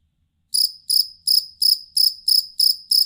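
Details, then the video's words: After a short silence, a fighting cricket (jangkrik kalung) begins chirping, eight ringing pulses in under three seconds, a sound kept for tutoring songbirds. "Suara Jangkrik Master Burung"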